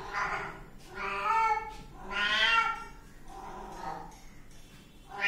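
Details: Kitten meowing insistently, four or five plaintive calls in quick succession, each swelling and fading, the middle one loudest and longest, ending as another meow begins.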